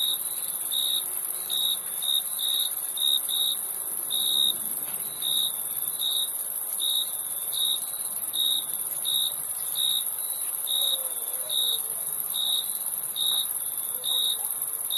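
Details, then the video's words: Crickets chirping steadily: bright, high-pitched pulses repeating more than once a second, sometimes in quick doubled bursts, over a dense constant ringing insect hum. "Crickets Chirping Sound"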